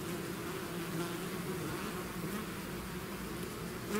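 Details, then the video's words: Bees swarming out of their hive: continuous low droning buzz of many insects, even and unbroken throughout, with faint higher hiss. "bees therapy swarm natural buzzing sound"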